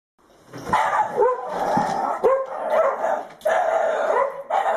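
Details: Jack Russell Terrier, a pet dog going wild over a teasing squirrel: excited, whiny barks and yelps run almost without pause, strained and rising, broken by short gaps, loud and close.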